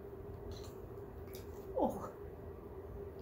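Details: Ten-week-old kittens Polaris and Pantera trying to steal chai indoors: one short, cute almost-meow, a brief wavering squeak rising then falling, over a steady low hum and room noise.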